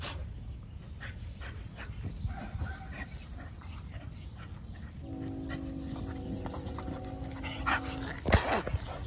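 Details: A Bull Terrier roughhousing with a Corgi outdoors in fine weather makes whiny, sustained growl-like tones, with a sharp bark-like burst near the end.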